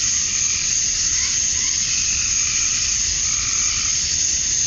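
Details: Cicadas at summer dusk in Georgia, USA, males chirping to attract females; a dense, unbroken high-pitched buzzing wall of sound with faint, softer pulsing beneath it.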